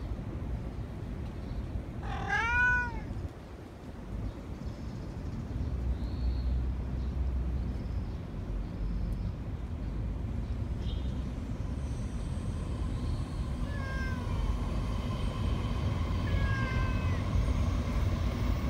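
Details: Domestic cat, tired from terrible heat and lying down, gives a loud arched meow near the start, then fainter harmonic mews later, over steady low traffic-like rumble outdoors.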